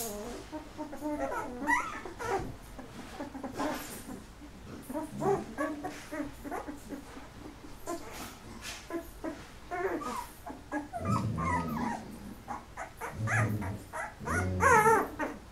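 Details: Golden Retriever puppies, eleven in the litter at 13 days old with eyes starting to open, whine and squeak in clusters, with lower grunting whimpers later and a rising squeal at the end.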